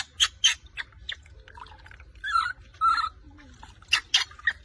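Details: Rose, a baby monkey, wails in anger when her mother takes her milk bottle while bathing; rapid harsh screeches open and close the stretch, with drawn-out tonal whining cries between them.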